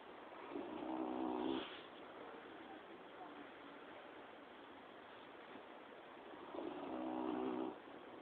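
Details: Quill, a dog sleeping comfortably, snores in two long, rasping breaths about six seconds apart, each a buzzy low drone with a hissing edge, separated by quiet room hush.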